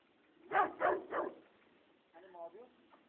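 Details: A dog barks three times in quick succession, each bark loud and sharp, roughly a third of a second apart. The barks come during a Friesian horse's first day of training, and a man's voice follows.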